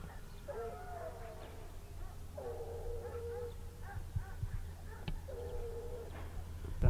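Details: Briquet hounds bay in long, wavering, drawn-out cries as the pack, called in by the hunter, rejoins an 8-year-old lead dog that refound the lost hare trail in open fields.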